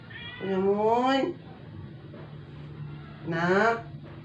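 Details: Dying rescue cat, a former stray kept indoors that had refused food for twelve days and failed after vet treatment, gives two loud, long rising-then-falling meows about three seconds apart in a small room with a low background hum.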